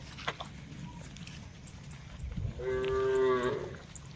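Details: Tame cattle in a herd grazing on a wide green pasture, calling back and forth: a single drawn-out, steady-pitched moo of about one second near the end, after quiet with a low background rumble.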